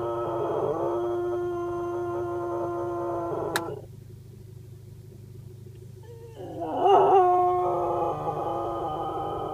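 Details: Cocker spaniel singing: a long sustained tonal howl that breaks off, a quiet pause with a low hum, then a wavering, rising-and-falling howl resumes; brief human voices nearby.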